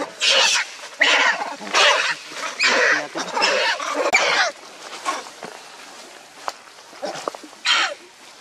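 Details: Baby macaque crying and begging its mother for milk; a series of loud, harsh, noisy cries about every second, each lasting about half a second, then quieter scattered whimpers and clicks.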